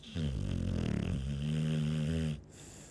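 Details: ['Chow Chow snoring indoors: one long, low, rumbling snore with a steady buzzing tone lasting about two seconds, then a short hissing breath.']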